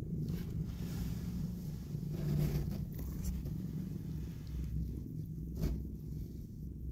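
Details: Mother cat cuddling and kissing her newborn kittens, purring in a low, steady, continuous rumble, with faint soft rustling.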